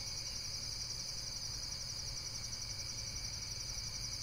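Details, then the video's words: Insect chorus: a steady, high, finely pulsed trill holding without pause, with a second fainter high band and a constant low rumble underneath. "Amazing Insects World - Relaxation Video with Various Nature & Insects Sounds"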